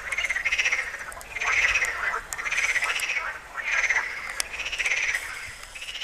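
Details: Frogs calling at Tyre Necropolis, Lebanon: a dense chorus of rasping, rapidly pulsed croaks rising and falling in roughly one-second surges, several animals overlapping.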